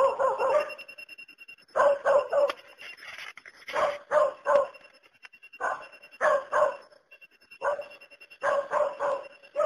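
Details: Dog barking in short bursts of two to four sharp barks, with pauses of about a second between groups, sounding fairly bright and mid-pitched.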